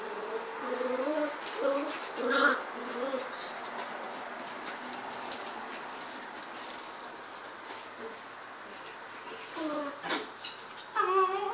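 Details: Maltese puppy playing fearlessly with another puppy of its litter: a series of short, high, wavering whimpering yips, bunched in the first two and a half seconds and again near the end, with soft scuffling noises between.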